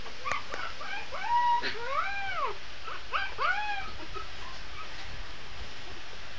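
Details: Young Shih Tzu puppy howls in drawn-out, arching whines that rise and then fall, given in two clusters with short gaps and a few sharp yips between them, against a quiet indoor background.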